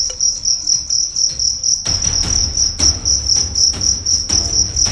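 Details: Fighting cricket from Karawang, West Java, size 7 and weighing 1.4 grams, tested for fighting. Shrill, high chirps pulse rapidly, about four per second, over low thumping handling noise.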